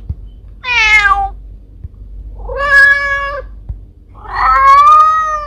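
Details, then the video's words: Three strong, drawn-out meows from a mother cat calling her kittens, the last long and wavering, separated by short quiet pauses with faint taps. "Mother cat calling for her kittens sound effect ⭐ mom cat sounds"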